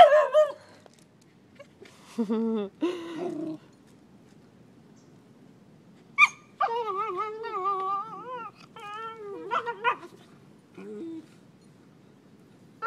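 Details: Beagle mother Mango at play with her four-month-old puppies on a Costa Rica beach; short yelps, then a long wavering howling whine with rich overtones around eight seconds, followed by brief whimpers, little else behind.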